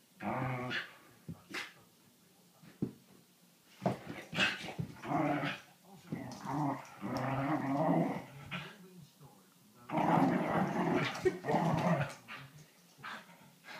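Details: Playing whippet giving irregular growling and grumbling vocalizations, broken into short bursts and longer stretches, with clicks and scuffling between them and a loud growly outburst toward the end.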